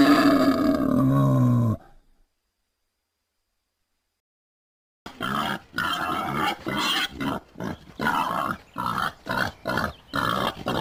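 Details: Wild boar with one drawn-out groan, then a silence, then rough, rapid grunts at about three per second, uneven in rhythm.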